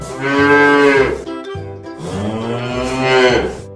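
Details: Cow mooing twice, each moo a long, low, richly harmonic call of about a second, with a short pause between them; faint music underneath.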